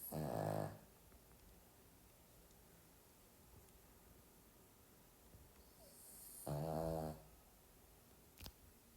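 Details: Sleeping Pomeranian dog snoring: two short rasping, buzzy snores with a layered harmonic tone, the first at the start and the second about six seconds later, with quiet steady background hiss between them.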